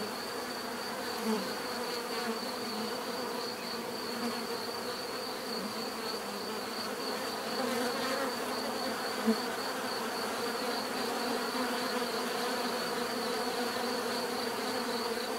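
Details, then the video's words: Dense, sustained buzzing of many bees, growing slightly louder in the second half, with individual passing buzzes standing out briefly near eight and nine seconds. "bees therapy relaxing natural buzzing sound"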